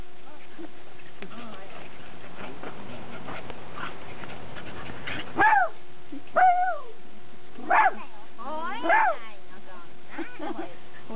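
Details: Cairn terrier recorded indoors on 25 October 2006 alongside a Welsh corgi named Goro; after quiet talk and a low steady hum, four short, sharp, rising-then-falling yelping barks about a second apart, with human voices between them.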